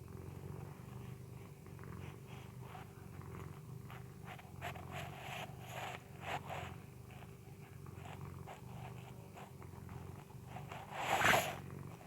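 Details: Mr. Bobby, a pet Persian cat, snoring while asleep indoors: soft, low, rhythmic breathing rasps repeating steadily, quiet throughout, with a brief louder rustle near the end.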